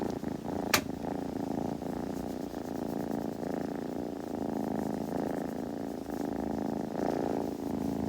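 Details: A kitten's purr, even and low, vibrating without pause for about eight seconds; one sharp click cuts through near the start, with gentle rustling over the rumble.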